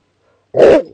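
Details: A Whippet gives a single short, harsh bark after a stretch of silence, sharp in onset and lasting about a quarter second before a brief fading tail.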